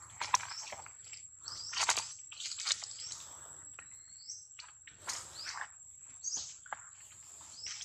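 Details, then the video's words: Loud crying of baby monkey Daniela, separated from mother Dana, calling for help: repeated rasping, noisy screams in clusters with brief high upward squeaks and short pauses, over a constant high-pitched hum. "Baby Monkey Daniela Cries Seizure,Loudly For Calling Mom Help"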